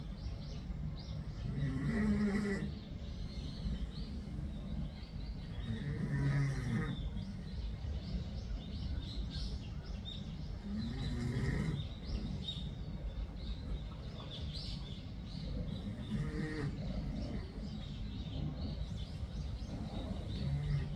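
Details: A cat snoring: low, rasping breath sounds come in slow swells roughly every four to five seconds, each building and fading over a steady soft background hiss.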